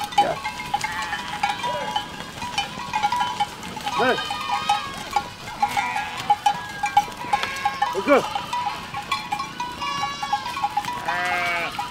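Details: Goats in a flock passing through a village give scattered quavering bleats every few seconds, a longer rising-falling bleat near the end, over a steady ringing bell-like tone and background chatter.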